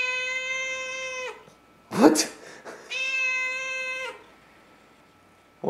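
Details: House cat meowing loudly indoors on its morning walk along the hallway; two long, steady, tonal meows of over a second each, with a brief rustle or thump between them.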